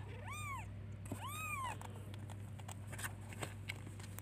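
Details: A kitten searching for and calling its mother: two clear, arched meows a second apart, each rising then falling, followed by soft clicks and rustling.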